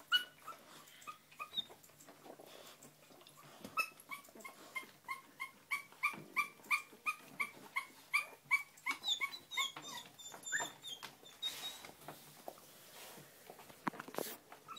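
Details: First steps of English Springer Spaniel puppies, accompanied by a quick, regular string of thin squeaky whimpers in the middle, set against steady background hiss and rustling, with scattered clicks later.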